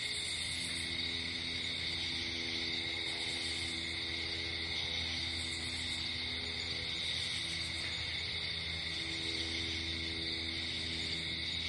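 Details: Crickets at night in nature, a high shimmering chirp in short pulsed bursts every few seconds over a steady high insect hum, with soft sustained low musical tones underneath throughout.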